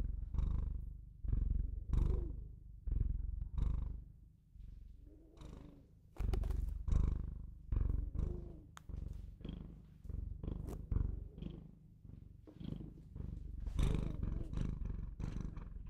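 A Bengal cat purrs steadily, a deep rumbling vibration that swells and fades with each breath.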